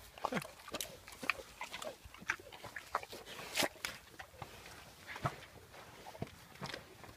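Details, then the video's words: Wild pig eating sugar, giving short squeaky grunts and sharp snapping clicks at irregular intervals, with a few louder bursts and faint rustling in between. "Wild Pig love sugar Nom Nom Nom"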